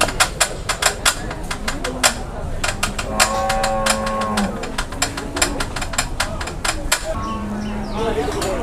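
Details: Cattle being haggled over at a sale in Indonesia. A low, drawn-out moo lasts about a second and a half mid-clip, and a shorter low call comes near the end, over rapid sharp hammer-like knocks and people talking.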